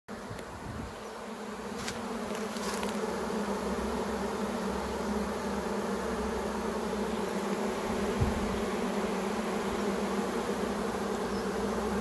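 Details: Honeybee swarm with its queen leaving a branch and entering a new hive box, a steady dense buzzing hum throughout, slightly louder after the first second, with a few faint knocks.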